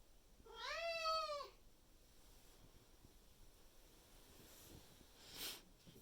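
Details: Indoor Maine Coon cat, May 2021, yelling loudly in the morning once it sees its owner awake, demanding food: one long, drawn-out meow with a rising then falling, nasal tone, followed by quiet room noise and a brief rustle.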